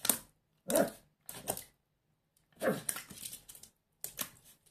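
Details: Schipperke puppy named Vincent barking while playing with water, biting it and hitting it with his paws; five short sharp barks in separate bursts across the few seconds, in a small indoor room.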